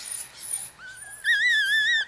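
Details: Four-day-old Chihuahua puppy from Bess's litter of four males and one female in Fredericksburg, Virginia: faint rustling, then one clear high whistled squeal that wavers slightly and holds steady for nearly a second.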